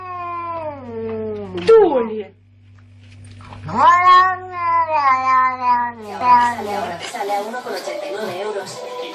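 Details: Indoor cat giving long, strained yowls that slide downward in pitch, three or four drawn-out cries with a low steady hum behind them.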